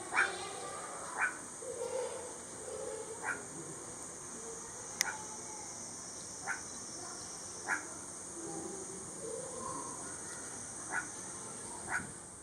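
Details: Meerkat recorded on 17 July 2022, giving short, sharp, clipped calls repeated about every one to two seconds over a steady high-pitched hiss and faint background murmur.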